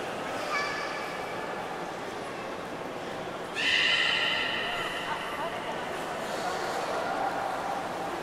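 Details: Beluga at Port of Nagoya Public Aquarium on 11 August 2018, during a pool move when a swap of Nana and Hodoi failed before time ran out; a brief faint harmonic squeal, then a louder steady whinny-like tone midway over constant hiss.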